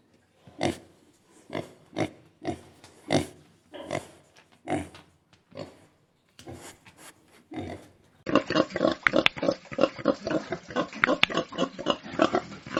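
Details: Domestic pigs on a farm grunt in short, rough bursts, then break into a dense, overlapping chorus of grunts and squeals.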